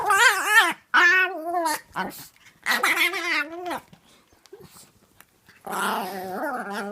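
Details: Vocal full-grown Chihuahua producing hilarious gremlin-like noises while playing with a Chiweenie puppy of six months: repeated wavering growl-whines in several bursts, some rising and falling, separated by brief gaps of quieter scuffling.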